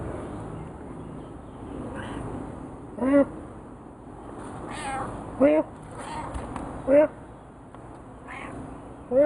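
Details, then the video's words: Frisky, a talkative pet cat, converses with its owner, giving short rising-falling meows about every two seconds, four clear ones spaced through the stretch, with a person speaking quietly in between. "Me & our other Cat Frisky having a nice converseation"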